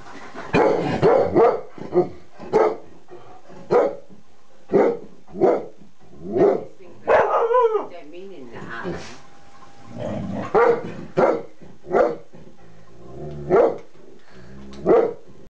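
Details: Four-month-old Airedale Terrier puppy trying to join in with other dogs; short, sharp barks repeated at irregular intervals, about one to two seconds apart, with a longer drawn-out vocal burst near the middle.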